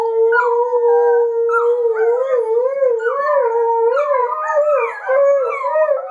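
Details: Howling from a Border Collie puppy, adult Border Collie and Alaskan Malamute recorded 3-15-13; one steady, slightly wobbling tonal howl held throughout with higher overlapping yodel-like howls joining in from the second second.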